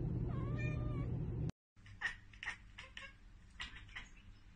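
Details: Domestic cat chattering after spotting a bird or insect it cannot reach: a drawn-out harmonic meow, a brief silence, then a run of short, clicky bursts repeated several times a second in a small room.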